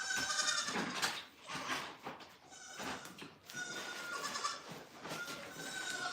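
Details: Several goats bleat together at The Willful Goat Farm & Home, a faint chorus of overlapping, wavering calls repeated every second or so against constant barn noise.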